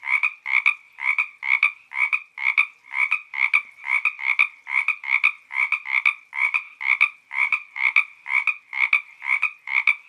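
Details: Frog on the Santa Ynez trail, Topanga State Park, repeating buzzy two-part croaks at an even pace of a little over two per second, clean and unaccompanied.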